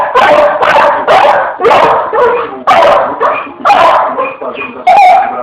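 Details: Pit Bull playing with a fan, barking in loud, harsh bursts about once a second, interspersed with higher whimpering, squeaky tones.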